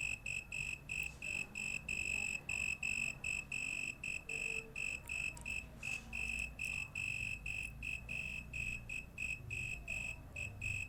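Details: An insect at night sings a shrill, pure-toned, high ringing trill in quick pulsed bursts of steady pitch, each under a second with short gaps, over a soft low rumble.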